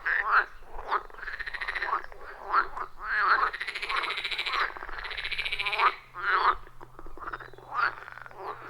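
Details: Frogs calling in a loud chorus around a wild forest pond, recorded on an iPhone 14 Pro with a Shure MV88+; overlapping rasping, pulsed croaks in long rattling bursts and short clucks, one caller answering another without pause.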